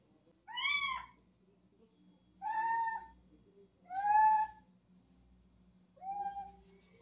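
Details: A male cat, able to climb easily but afraid to jump down, gives four drawn-out, rising-then-falling meows spaced about one and a half seconds apart, with a steady electrical hum and a high whine in the background.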